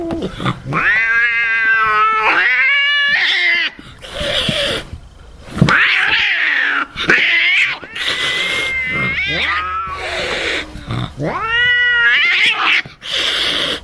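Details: Angry domestic cat in a string of loud, rising and falling yowls, each swelling then breaking off, mixed with harsh hissing bursts between the cries.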